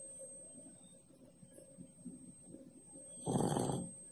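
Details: Pak Pak the cat, asleep beneath the kitchen stove, breathes softly for a few seconds, then lets out one loud, coarse snore of about three quarters of a second over a constant low household hum.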